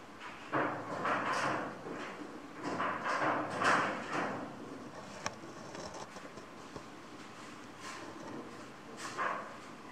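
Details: Two kittens give a series of short, high mews, several coming close together in the first four seconds and one more near the end, with soft rustling and handling noises in between.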